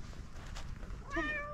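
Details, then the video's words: Fluffy calico cat meowing with a cute voice on seeing a person; one short, clear, tonal meow near the end rises slightly then levels off, over a quiet low rumble of background noise. "Beautiful fluffy cat started meowing with its cute voice when it saw me"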